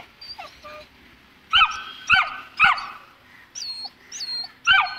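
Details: Afraid to go down stairs, a two-month-old Saint Bernard puppy gives quick, sharp yelps in clusters, each dropping in pitch. Fainter high squeaky whines come between them.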